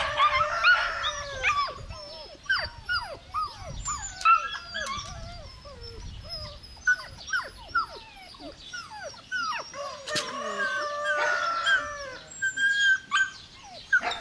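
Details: Belgian Malinois puppy whining continuously, many short downward-sliding squeaks and thin drawn notes, with an occasional sharper yelp and low rustle underneath.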